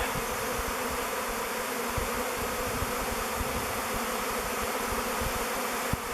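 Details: A honey bee swarm of thousands hovers and swirls at a log hive it has chosen as its future home, waggle dancing before entering. The dense, unbroken buzzing drone holds steady, with soft low knocks scattered through.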